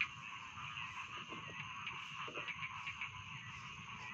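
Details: Chorus of rice field frogs, a continuous buzzing, layered croaking drone with faint irregular pulses and a soft low background hum.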